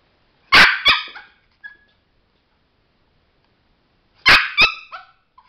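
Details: Male Chihuahua doing a trick about a light and a button gives two pairs of sharp, high barks, each pair a loud yap followed quickly by a shorter one, about four seconds apart, with quiet between.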